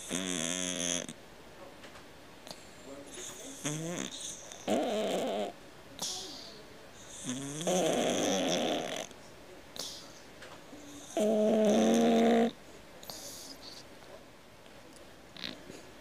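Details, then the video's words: Domestic cat snoring like a man: several loud, rattling snores of about a second each, alternating with softer breathy exhales at an irregular rhythm in a quiet room. "Кот храпит как мужик"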